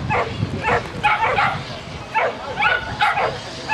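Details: Whippets at a race in Helsinki, Finland, on 30 June 2007: sharp yipping barks repeated about twice a second over steady crowd and track noise, while a commentator speaks in Finnish.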